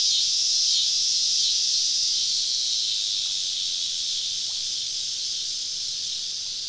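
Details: A dense, steady chorus of summer cicadas fills the air with a shimmering, high-pitched hiss, recorded in the evening while camping deep in the woods in the southern region.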